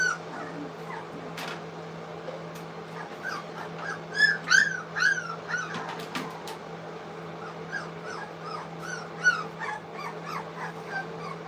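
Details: Three-week-old English Cocker Spaniel puppies at a kennel, eating food for the first time, give short high whimpers and yips in scattered bursts over a steady low electrical hum, with some faint music.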